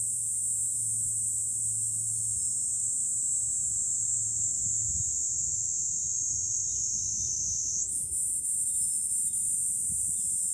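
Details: Cicadas in July on a hilltop overlooking Fukuoka city, Japan: a dense, shrill, unbroken buzz held high throughout, its pitch stepping slightly upward near the end, over a low steady hum during the first half.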